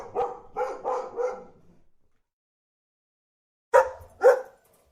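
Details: A dog gives a quick burst of four rough barks in close succession, falls silent for about two seconds, then adds two sharp, loud single barks.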